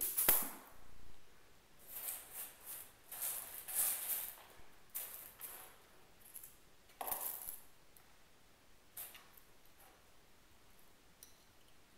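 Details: Scattered clicks, taps and rustling bursts in a small indoor room, fading toward the end, with no animal voice.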